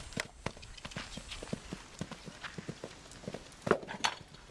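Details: Hoof strikes of a seven-year-old male Belgian Draft x Quarter Horse cross used for fox hunting, brisk and loud, roughly three per second in an uneven rhythm, with a louder scuffing burst near the end.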